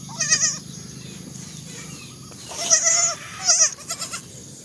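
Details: Baby goats bleating: short wavering high-pitched bleats, one near the start and two more about three seconds in, with faint background hiss between calls.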